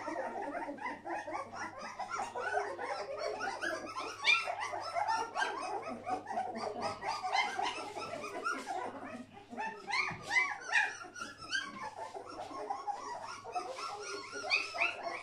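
An English Springer Spaniel gives a near-continuous run of high yips, whines and short barks.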